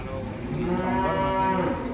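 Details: Giant cattle unloading from a truck: one sustained, rich harmonic moo fills nearly two seconds, steady in pitch, with faint noise of the surroundings.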